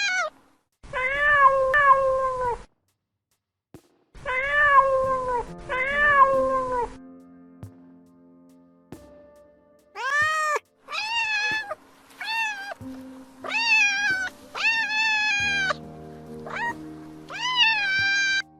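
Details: A cat meows repeatedly: drawn-out wavering cries at first, then a quick string of short rising-falling mews near the end, over soft sustained music notes.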